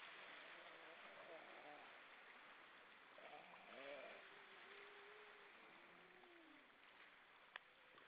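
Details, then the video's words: Among many grey seals hauled out on rocks at Vilsandi, Estonia, one evening in October 2012, wavering moans rise and sag, including a long level note that slides downward at its end. Steady wash of surf throughout, with a brief click. "Lots of seals on the rocks singing"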